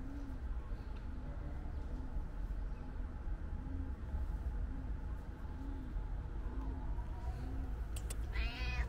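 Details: Calico cat meowing loudly, apparently wanting to tell its owner something; a single harmonic meow arrives near the end over steady low rumbling background noise, with faint soft repeated low tones before it.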